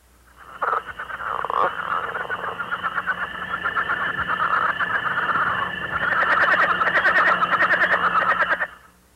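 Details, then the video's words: Southern leopard frogs in Missouri calling in early spring give rapid, guttural clucking and chuckling calls, with several frogs overlapping. "You can hear leopard frogs calling in early spring."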